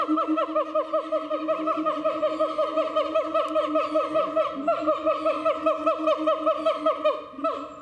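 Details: At Chiba Zoological Park in Japan, a siamang gives a fast, dense chain of short descending whoops over an unbroken low hum, easing off near the end.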